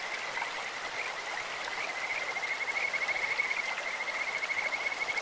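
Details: Kajika frogs calling in a clear stream: a thin, high, bird-like trill of rapid pulses running almost steadily for about five seconds over the constant hiss of flowing water.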